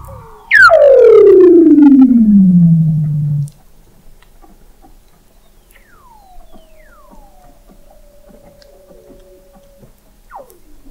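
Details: Weddell seal under the sea ice of McMurdo Sound, Antarctica, recorded November 2017 at the McMurdo Oceanographic Observatory 21 m down: one loud, three-second descending whistle sliding low, then fainter distant falling calls.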